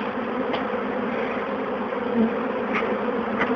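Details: A honeybee colony being removed from an old bird box fills the air, thousands of bees, likely over 20,000, running into a relocation box: a steady, loud, low droning hum of many wings.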